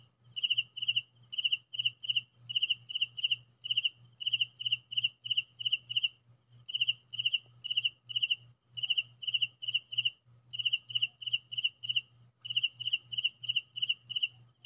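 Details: Cricket chirping at home, a steady run of bright, high pulsed chirps grouped in short trains, repeated with hardly a pause over a low constant hum.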